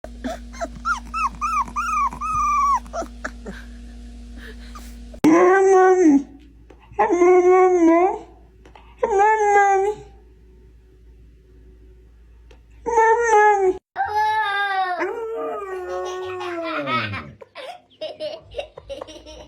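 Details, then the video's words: Dog vocalizations from a countdown of breeds with unusual sounds: long wavering howls and whines with many harmonics, rising then falling, in bursts of about a second separated by pauses, with a faint steady hum before the first burst. "Why Do These Dogs Make Such Strange Noises?"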